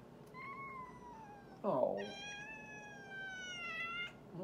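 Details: Domestic cat talking indoors: a long, slightly falling meow, then a brief harsh burst and a second sustained, level, tonal meow lasting about two seconds, with a faint background hum.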